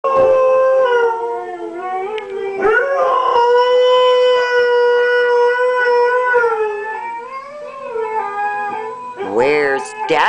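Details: Siberian husky, a pet dog, howling in a drawn-out singing style after his owner left him behind: long sustained wavering tones, rising at the start and sliding at the end, with a person's voice briefly at the close.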